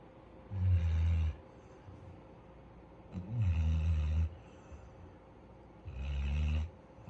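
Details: Futu, a Labrador Retriever from Jeju Island born in November 2020, snoring while asleep: three deep, rumbling low snores, each about a second long, coming roughly every two and a half to three seconds with quiet breathing between.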